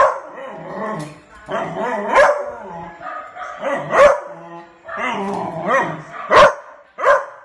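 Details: A beagle puppy barks sharply and breaks into drawn-out, wavering howls, answering the neighbour's barking dogs and perhaps annoyed by them.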